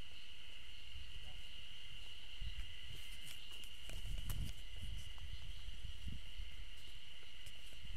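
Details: Ezo spring cicadas, heard but not seen, sing together in a steady, high ringing drone over low wind rumble on a forest trail at an Okhotsk university campus in Japan, 15 June 2012.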